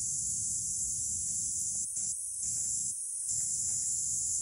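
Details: Kaempfer cicadas (Platypleura kaempferi) sing in Saitama Prefecture, Japan, on July 22, 2022: a steady, very high-pitched hissing drone with a few brief breaks.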